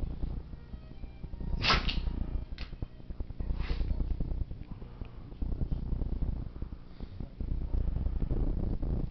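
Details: Monty, a seven-year-old black Labrador Retriever, in a sneezing attack: three sharp, explosive bursts come close together in the first four seconds, then fainter snorts, all over a steady low rumble.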